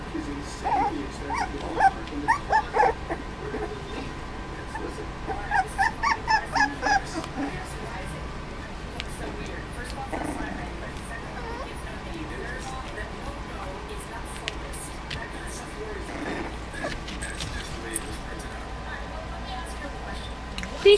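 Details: Four-week-old Dachshund puppies playing together, clumsily learning to play: two bursts of rapid, high, repeated yips and squeaky barks, about six or seven in quick succession each, then quieter squeaks and background rustling.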